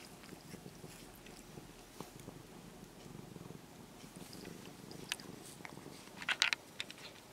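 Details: A stray orange-and-white kitten, now nearly a house cat, purrs quietly while being stroked after walking up. A soft, steady low rumble runs throughout, with scattered small clicks and a short rustling burst near the end.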